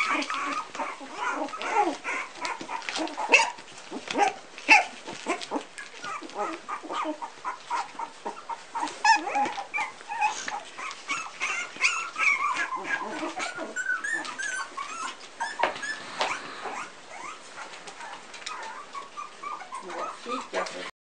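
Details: Three-week-old Pumi pups in a litter, crying and yipping in a busy, overlapping chorus of sharp squeaks and brief whines that continue without pause.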